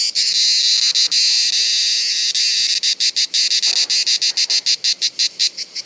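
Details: At Bollène on 7 July 2015, cicadas sing during reproduction. A loud, continuous, shrill buzz with brief gaps gives way halfway through to a chain of quick, separate buzzing pulses.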